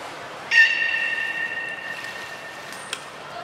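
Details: Training session at Nagoya Port Aquarium, 16 December 2018, with the belugas Gray, Mirai and Niko. A single clear, steady harmonic whistle starts abruptly and holds level for about a second and a half, fading out. A brief thin high tone follows near the end.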